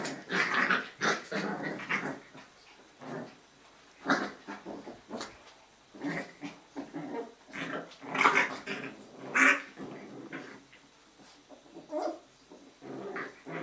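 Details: Playing Jack Russell Terrier puppies, litter A, in a breeding kennel on an evening of games, growling in rough bursts of a second or so separated by short quiet gaps, with a few sharper yips mixed in, indoors.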